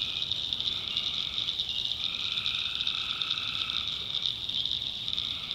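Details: Tree frogs in a backwoods swamp in North Carolina at night: an unbroken shrill pulsing chorus, joined by lower sustained tones that enter and fade in turn.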